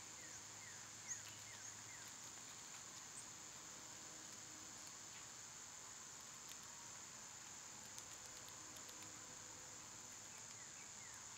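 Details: A summer cicada chorus forms a flat, high, unbroken hiss; a bird gives a run of quick descending chirps at the start and again near the end, with light tapping sounds in between.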